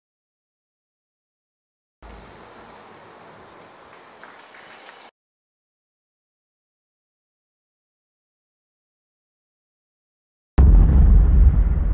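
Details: Silence broken by a brief hissing burst of noise and, at the end, a loud low rumbling noise, with no animal sound.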